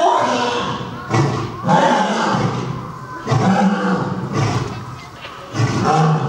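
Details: Hayate and Oto, a male-and-female lion pair at Nonhoi Park zoo, trading powerful roars: low, rough grunting bursts rising and fading at irregular intervals of one to two seconds, amid background crowd noise.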